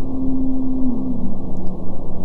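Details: An Antarctic blue whale's communication call, recorded underwater at low frequencies: a long, steady low tone that slides down and settles lower, played sped up.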